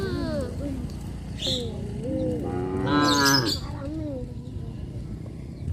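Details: Cows kept on a traditional village farm, wandering a highway, produce several soft wavering lows and then one loud, flat, sustained moo near the middle, with faint high chirps around it.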